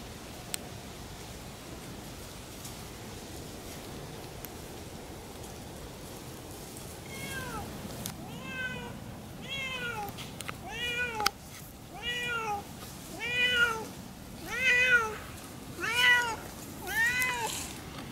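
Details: Siamese cats Otani and Yozora howling as they explore a new little forest on an off-leash hike; after quiet rustling, a long series of loud, drawn-out arched meows about once a second, swelling in volume toward the end.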